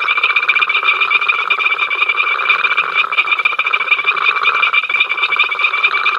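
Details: Many frogs at Ol Donyo, filmed on the africamLIVE camera on 5 October 2023, raising their incessant row: a dense, unbroken chorus of rapid pulsed croaks layered into steady trilling bands, with no other sounds.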